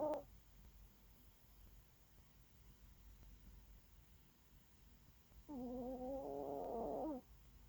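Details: Sleeping dog, described as tired, gives a brief nasal snort, then after a long quiet pause a wavering, humming snore lasting nearly two seconds.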